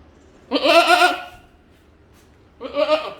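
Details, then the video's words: Goat giving two loud, quavering bleats about two seconds apart, the first longer at nearly a second, the second shorter and cut off, over a quiet background. "Goat Call"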